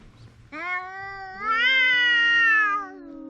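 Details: Cat making a big noise: one long, loud, harmonic meow held steady for about two seconds, rising slightly partway through, then fading into a low trailing tone.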